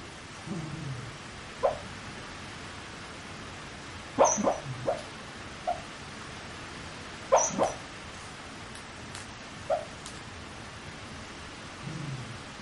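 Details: Sleeping dog muttering, captured at close range on a PowerShot SX30 IS: scattered brief whimpers and small clipped yelps, some in quick pairs, separated by long quiet gaps, plus a couple of low grumbles near the start and end.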